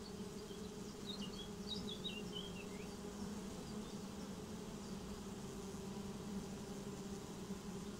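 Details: Swarm of honeybees receiving a new home hums in a smooth, unbroken low drone, while a short run of high bird chirps sounds in the first three seconds.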